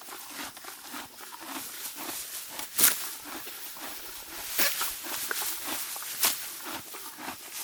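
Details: Mare of the Morgan breed grazing deep grass in spring, steady rhythmic chewing crunches broken by three sharp grass-tearing rips.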